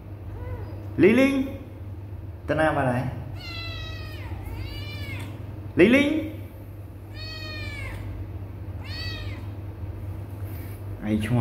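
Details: Kittens not answering a person calling them: several high, arching meows come in pairs between loud, repeated human calls, all over a constant low background hum.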